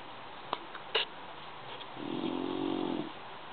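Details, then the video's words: Sleeping bulldog snoring indoors: one drawn-out, rumbling inhaled snore lasting about a second, preceded by a few faint clicks and rustles. "Schnarchender Bulldog"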